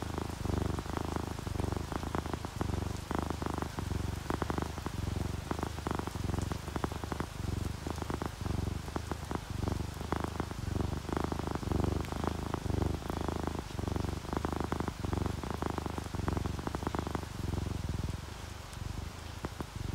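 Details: Contented house cats, an orange tabby and a calico, purring in a continuous low rumble broken into rhythmic breaths, over steady rainfall and raindrops on a surface.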